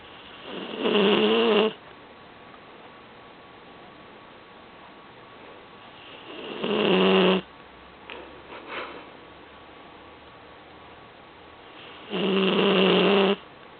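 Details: Seven-month-old Vizsla/Weimaraner cross puppy asleep on a couch, snoring steadily: three loud rasping snores roughly every five to six seconds, each under a second long, with faint snuffles between.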